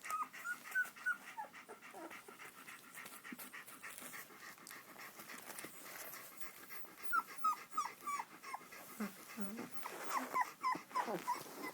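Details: Young Shiloh Shepherd puppies from Totem Shilohs whining in short high squeaky bursts, several quick whimpers in a row at the start, middle and end, over steady rustling and movement.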